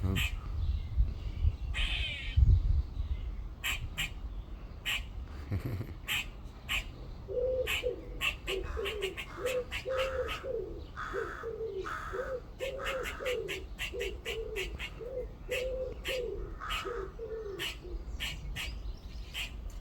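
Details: Squirrel calling from a tree in a back garden, on the second day of recording. Sharp clicking chucks repeat through the clip. From the middle onward a steady run of short nasal, quacking notes joins them, with faint background hum.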